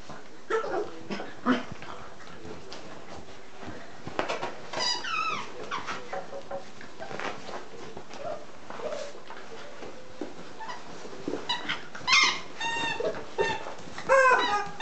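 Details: Nine-week-old English Cocker Spaniel puppies at their evening play and romp, letting out scattered high, bending whimpers and sharp yips, some in quick pairs, between soft scuffles and bumps.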